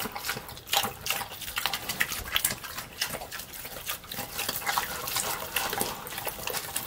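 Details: A pig eats slop with rhythmic wet chomping, sharp squelching clicks and slurps pulsing roughly twice a second over a constant background of sloshing liquid.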